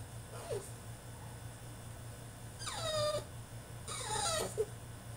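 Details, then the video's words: French Bulldog in his cage throwing a tantrum: a faint short yelp, then two strong whines about a second apart, each sliding downward with many harmonics, steady low hum throughout. "FRENCH BULLDOG THROWS TANTRUM IN HIS CAGE!!"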